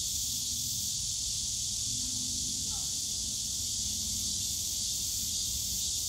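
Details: Cicadas singing in the bamboo grove of Yongsan Family Park on a summer day, a dense, unbroken high shimmering drone with no pauses, over a low rumble of distant park and city noise.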